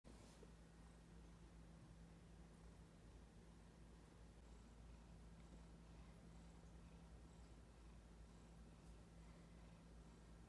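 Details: Female domestic cat purring while cuddling against a person's leg indoors: a soft, steady low rumble runs unbroken for about ten seconds, with faint hiss above.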